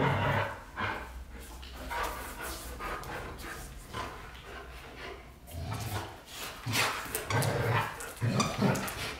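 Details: White Golden Retrievers James Bond and Luna vocalizing indoors: irregular broadband bark-like bursts, some deep and rumbling, scattered unevenly through the stretch with no steady rhythm.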